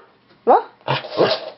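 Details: Pet dog that cannot bark like a real dog, prompted by its owner: a brief yelp, then two rough, growly bark-like sounds, with a person's voice close by.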